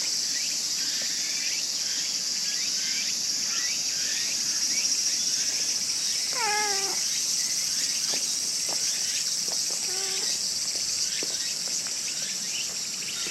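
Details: Brown female stray cat in Japan, approaching and being petted many times, gives two short harmonic meows a few seconds apart, the first longer and arching, over a loud, steady chorus of crickets and insects.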